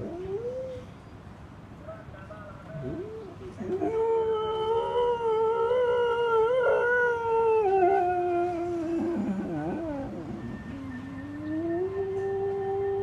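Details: Pet dog howling at the repetitive call of an old newspaper collector lorry; long sustained howls that waver and bend in pitch, dipping and sliding between phrases, with a faint steady tone in the background.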